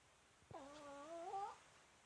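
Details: Snoring female Pomeranian Myu, asleep and fairly loud: a single reedy whistled tone of about one second that wavers, then climbs slightly before cutting off, in a quiet room.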